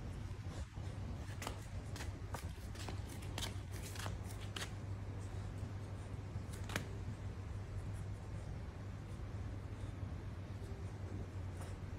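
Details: Quick papery clicks and snips over a low electrical hum indoors, without any animal call.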